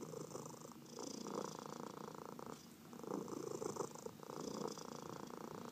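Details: Pet cat, one of four adopted cats, purring while massaged; pulsing rumble broken by a short pause before three seconds, then resuming strongly, with light hand-stroking sounds.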